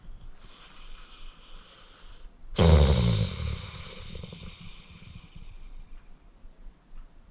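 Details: Sleeping 14-year-old pit bull named Acorn, rescued from the Cuyahoga County Animal Shelter: a soft breathy snore, then one loud rough snort-like snore fading slowly over several seconds in a quiet room.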